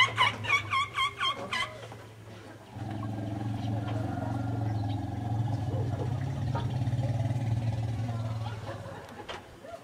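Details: Asian elephants: bystander MP comforts JK, a distressed female upset by a bull roaring in a nearby camp, approaching and touching her face. A quick series of pulsed chirps comes first, then a deep, steady rumble that lasts about six seconds.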